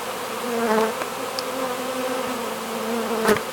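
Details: Western honey bee swarm being hived, fanning inside the hive as bees march in from a board: a steady, droning hum of many wingbeats, low and layered.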